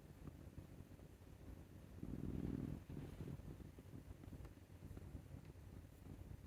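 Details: Scottish Fold tomcat Maru, born 22 May 2021, snoring like an old man as his neck is scratched; one short, loud, low grating snore midway, surrounded by faint breathing and a dull background rumble.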